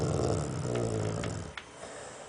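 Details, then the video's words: Sleeping pet dog indoors giving one deep, buzzing snore that fades after a second and a half, followed by soft room noise and faint clicks. "I love it when my dog snores!"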